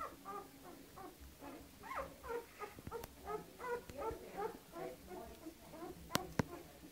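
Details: Canaan dog with her pups, indoors: a rapid, uneven run of high, wavering whimpers and squeals, about two or three per second, with a couple of sharp clicks near the end.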